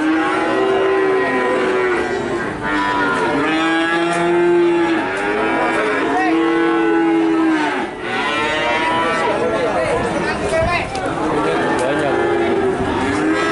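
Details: Nganjuk cattle calves keep up a chorus of overlapping moos, one high drawn-out call following another, some arching up and down in pitch, with no quiet spells.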